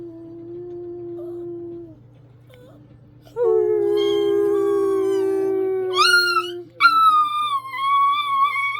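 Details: Pet dog singing along with its owner, a long steady low tone held first, then the dog's rising, wavering howls break in higher and louder toward the end, accompanied by the owner's voice.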